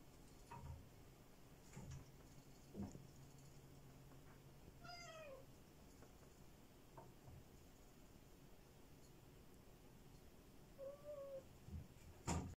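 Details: Black cat meowing twice: a falling, drawn-out cry near the middle, then a shorter, flatter meow near the end, with soft knocks and thumps between them.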